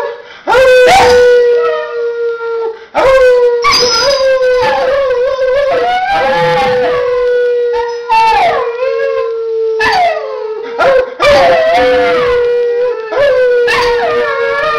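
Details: A dog howls together with a person: long, sustained, slightly wavering howls held for several seconds, broken by short breaths, with a second human voice sliding up and down alongside.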